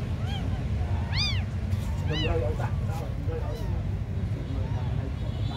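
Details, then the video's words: High, arching mews from tiny abandoned kittens, a loud cry near the start and another soon after, followed by softer overlapping calls above a low rumbling background. "The smallest abandoned kittens on the world"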